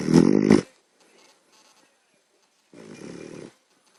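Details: Sleeping puppy snoring loudly indoors: one harsh, rasping snore lasting about half a second, a quiet pause, then a second, longer and softer rattling snore near the end.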